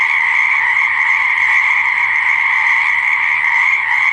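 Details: Pond or swamp frogs croaking together in a constant, high, ringing chorus; the overlapping trills blend into a single unwavering wall of sound for the whole short stretch.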